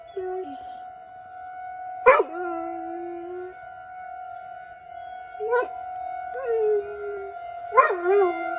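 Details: Pet dog howling outside during a Rochester, Minnesota weekly tornado siren drill; sparse yelp-onset howls, some held briefly, separated by pauses while the siren's steady tone dominates.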